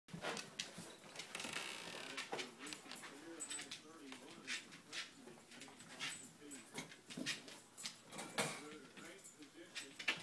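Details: Reckless, a miniature bull terrier, plays indoors with leftover party balloons, giving a steady run of wavering, whiny grumbles and moans throughout, mixed with scratchy rubbing and squeaks from the balloons.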